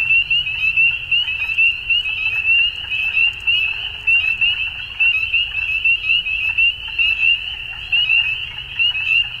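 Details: Dusk frog chorus of many overlapping high-pitched pulsing trills forming a continuous shimmering band, loudness swelling and dipping in short bursts, over a low steady rumble.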